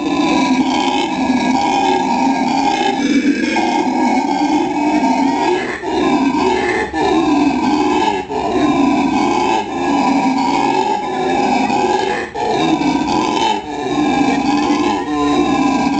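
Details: Captive male black howler monkey in a La Plata, Argentina zoo calling in its characteristic way: sustained, rasping, layered roars with strong harmonics, broken by brief dips every one to two seconds before swelling again.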